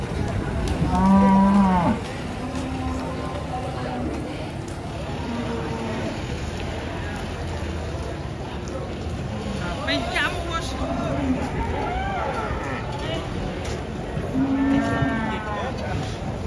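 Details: Agitated cow being unloaded from a truck, nearly colliding as it comes down; two loud, drawn-out moos, one near the start and one near the end, with excited people shouting and background music throughout.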